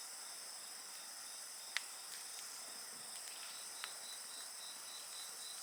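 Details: Beside a bonfire, insects keep up an unbroken thin, high trilling drone, while the burning wood adds an occasional crisp pop and faint crackle.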